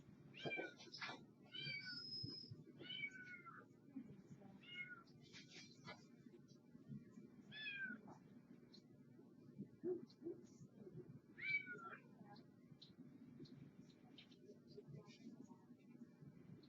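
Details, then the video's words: Domestic cat mewing in short bright bursts, quick upward and downward slurred calls every second or two early on, then sparser, over a steady background hum. "meow meow"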